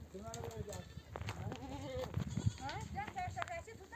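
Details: Mother sheep of a nomadic herd, back from grazing, bleat for their lambs to come and suckle. Many soft wavering bleats overlap one another throughout, with a low murmur of movement and rumble beneath.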